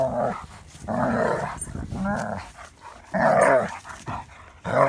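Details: German Shepherd rough-playing with another dog: deep growling bouts and louder bark-like bursts, four or five spaced outbursts with quieter gaps.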